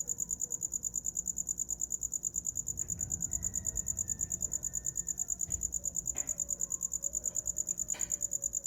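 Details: A cricket keeps up a piercing, high pulsed chirping a little over two beats per second, used as a sleep sound, while a few soft clicks and faint background tones break in.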